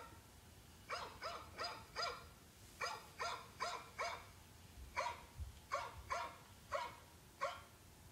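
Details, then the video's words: Barking dog giving clusters of three to four sharp, evenly paced barks separated by brief pauses, each bark clipped and bright, over a quiet background. "Dog, sounds of dogs"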